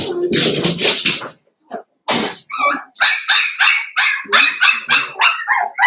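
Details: Litter of five blenheim Cavalier King Charles Spaniel puppies in an indoor pen: a noisy scuffle and a brief pause, then a steady series of shrill puppy barks, roughly three per second, continuing to the end.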